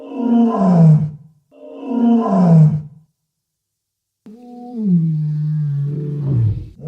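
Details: Walrus, a marine mammal, gives two short, rough, falling roars in quick succession. After a pause comes one longer, steadier low bellow with a growling end.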